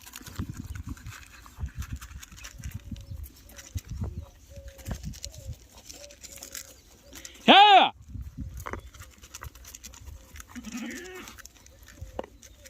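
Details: Goat kid at a farm where the young are fed because milk is not enough; a single loud, short bleat stands out midway amid low rustling and faint farmyard sounds.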